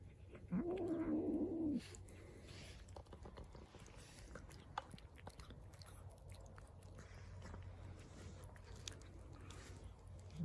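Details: A hungry street cat gives one drawn-out, low, moaning call lasting over a second while eating. Quieter chewing follows, and a brief rising note begins at the very end.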